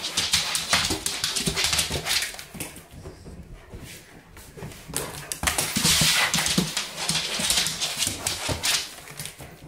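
A Weimaraner whines and yelps in quick, excited bursts in a small room.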